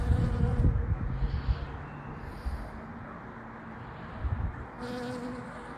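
Bees buzz with a low, steady drone that swells and fades as they fly past.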